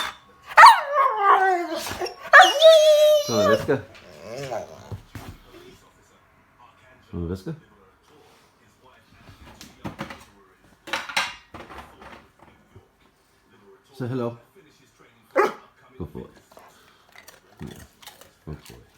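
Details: Happy Rottweiler making crazy, funny noises: a long wavering whine-howl that rises and falls for about three seconds, followed by scattered short grumbles, yips and throaty vocal bursts separated by pauses.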